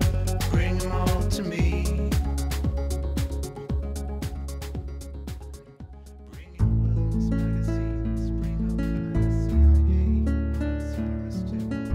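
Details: Funky music with heavy bass and percussion plays throughout and changes partway through, with no animal sound.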